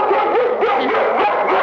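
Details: Lady, an eight-year-old female German Shepherd, barks at a ringing doorbell, a habit she has had since she was very young; a loud, continuous stretch of rough, overlapping barking with little pause.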